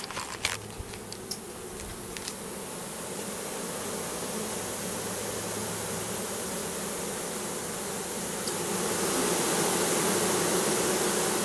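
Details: Russian/Carniolan hybrid honey bees, a 3-pound mailed package of 10,000 workers with one queen, being installed in a new hive in April 2012; a steady, dense buzzing hum, preceded by a few sharp clicks, swelling louder near the end.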